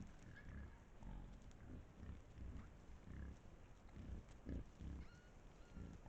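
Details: Trail camera footage from Estonia of a wild boar pack: deep, soft rhythmic grunting in short pulses about every half second, with a few faint higher squeaks above the low rumble.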